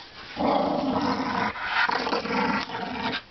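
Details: Dogs playing with laundry at home; a low rumbling growl with playful vocal noises runs through most of the clip, with Spanish speech nearby.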